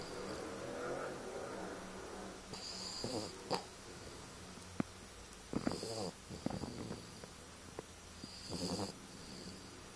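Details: A two-year-old French bulldog snoring indoors while asleep: raspy, rattling snorts with a wheezy whistle, in bursts about every two to three seconds over a steady hiss.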